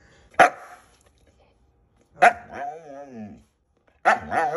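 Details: Siberian Husky attempting to eat green beans: a sharp bark, then another bark running into a wavering, yodel-like vocal wobble, and a third bark with a further warbling moan near the end.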